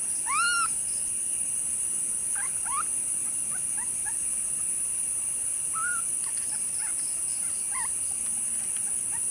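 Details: Kittens meowing on April 15, 2025: one clear arched mew opens, followed by scattered, fainter short mews spaced a few seconds apart, over a constant high-pitched background whine.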